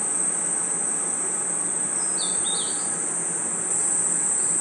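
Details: Night forest insects, crickets among them, keep up a constant piercing high-pitched trill, while a short cluster of twittering chirps breaks in around the middle over faint background hiss.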